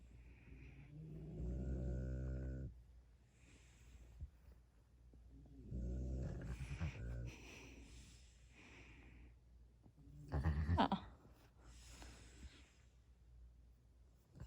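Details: Sleeping puppy being tickled, answering with low, drawn-out harmonic grumbles about a second long, two main bouts separated by quiet breathing, with a brief rustle near the end.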